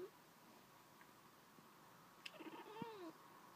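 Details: Domestic cat chattering toward birds outside, a brief run of quick clipped chirps ending in a rising-falling mew-like note, in a quiet indoor room.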